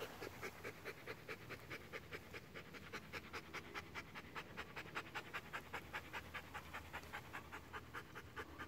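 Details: Bernese Mountain Dog panting steadily, crisp breathy puffs repeated about two and a half times a second in an even rhythm throughout, over faint low background hum.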